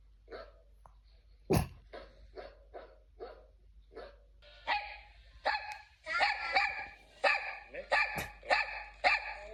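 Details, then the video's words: Dog with a cough-like bark repeating short, rough bursts at irregular intervals, then louder, more tonal, strained barks run together toward the end; one sharp knock sounds partway through. "It sounds more like a cough than a bark!"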